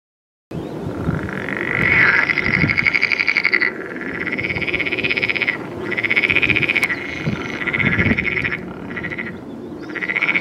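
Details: Edible frog, a fertile hybrid common in the Netherlands: loud rattling, pulsed croaks in long bursts of about two to three seconds, broken by short pauses, with several frogs overlapping and a low background rumble.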